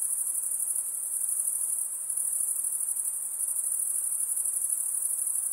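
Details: Insects produce a continuous, very high, even shrilling, a thin pulsing ring that never pauses, over a soft low hiss.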